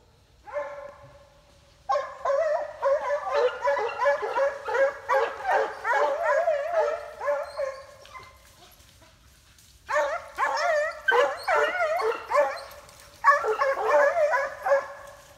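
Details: Summer coyote chase in New York State by Foxhounds and a Treeing Walker puppy; one long bawl, then dense overlapping chop barks from several hounds, a pause near ten seconds, and renewed excited baying.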